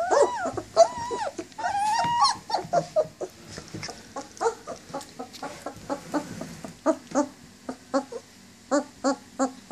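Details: Nineteen-day-old German Shepherd puppies, up and moving around, whining for their mother: high arched whines and squeals early on, then a string of short clipped yelps and whimpers spaced through the rest.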